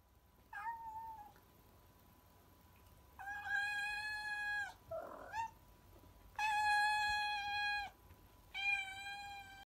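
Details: Domestic cat on catnip meowing indoors: three long, drawn-out harmonic meows, each about one to one and a half seconds, with a short rough chirp between them and a brief higher squeak at the start.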